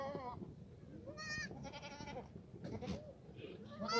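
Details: Black goats at a Gimhae farm in South Korea, in the exercise yard on a foggy Friday morning in March 2019; repeated quavering, buzzy bleats from more than one goat, short and closely spaced, with low yard noise beneath.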